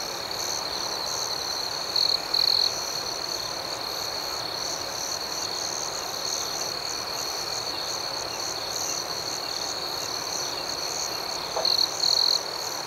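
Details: Crickets chirping at night in a soothing nighttime ambiance: a steady, shrill high trill runs throughout, with softer pulsed chirps above it and two brief louder buzzy bursts near the start and end.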